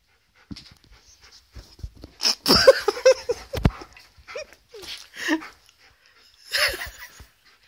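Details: Alaskan malamute puppy kept as a pet, facing a birthday balloon; quiet start, then loud breathy panting, short whining yelps and snorts in irregular bursts, with a few sharp clatters.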